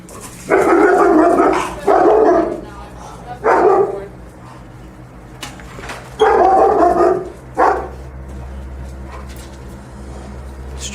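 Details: Young female German Shepherd with leash reactivity barking on leash as a trainer arrives; harsh, loud barks in bursts, some drawn into long rough barks, with pauses, faint voices and room noise between.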